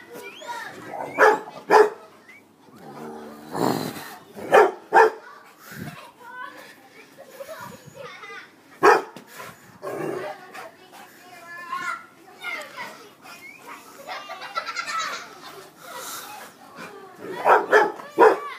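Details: A playing Rottweiler puppy gives short, sharp barks and yips in scattered bursts while a person talks and calls him over.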